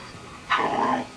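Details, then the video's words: Dog 'talking': a short, rough, whining growl lasting about half a second, rising then wavering at mid pitch, over a quiet room background. "talking_dogs.(говорящие собаки)"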